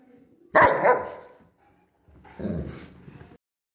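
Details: Bernese Mountain Dogs react to being blown on with one sharp, loud bark. About a second of silence follows, then a lower, rougher, drawn-out bark-like vocalization.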